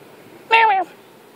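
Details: Domestic cat playing outdoors on grass, uttering a single clear, cute meow lasting about a third of a second, tonal and gently falling in pitch at the end, against quiet background.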